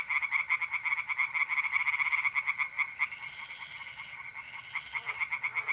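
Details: In a pond at night in mid-April, North-East Italy, tree frogs keep up a rapid rhythmic croaking; the chorus thins briefly after three seconds, with a faint higher rising note, then resumes.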